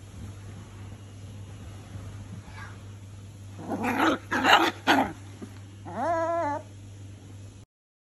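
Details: Crying from Brownie, a female toy poodle puppy two months old, whose right front ring toe was crushed in a door and later amputated. Quick bursts of sharp yelps, then a short wavering whine before the recording stops.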